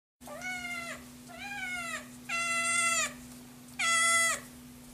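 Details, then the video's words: Hungry Scottish Fold kitten giving four loud, drawn-out meows, each about half a second to a second long, harmonic-rich and slightly falling at the end, the last two louder, over a steady low electrical hum. "Crazy hungry scottish fold kitten"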